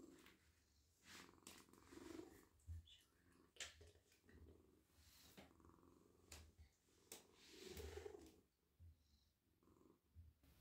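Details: Soft, silky pet cat purring while being stroked, the low rumble swelling and fading, partly masked by frequent rustling, scratching and brushing noises from hands on fur.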